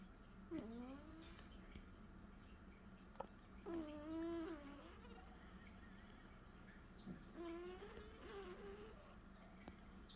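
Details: Leo, a snoring cat, gives wavering, whistled nasal breaths with rising and falling tones, three or four bursts spread over ten seconds, with small clicks in between in a quiet room.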